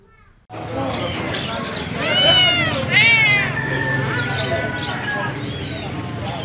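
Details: Cats and kittens meowing, with two loud, arched, tonal meows close together in the middle, then fainter drawn-out mews, over continuous low background noise.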